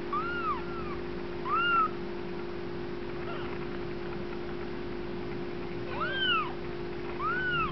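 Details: Playing Bengal kittens of Lennox's first litter give clear arched mews in scattered pairs, some overlapping, with quieter gaps between and a constant low hum underneath.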